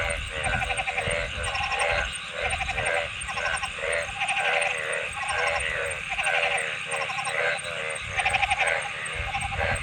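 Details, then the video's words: Frogs calling in a dense chorus, nasal bleating notes made of rapid pulses, repeating about once a second and overlapping one another, over a steady high-pitched hiss. "Frog Sounds"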